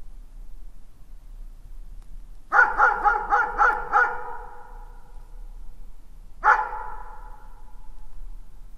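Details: Dog gives a fast run of six barks in under two seconds, then falls quiet before a single bark, each with a trailing echo in an otherwise quiet setting.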